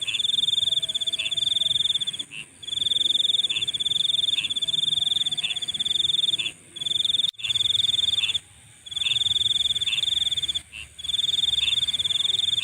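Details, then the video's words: At night, insects produce a sharp, high-pitched rattling trill almost without stop, cut by a few brief breaks, layered over a steady thin hiss and quiet low noise. "Nighttime Insect Sounds"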